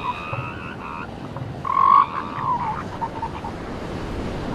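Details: Seal pups on a beach give tonal, wavering wails: a long faint cry at the start, then a louder drawn-out call near two seconds and shorter, softer calls after, all over a steady wash of surf.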